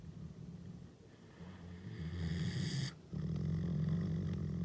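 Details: Akela, a Canadian wolf, growls on 16 April, his birthday, showing his character and liking to dominate. The growl is deep, rough and continuous, with a throaty pulsing rumble that swells louder in the second half.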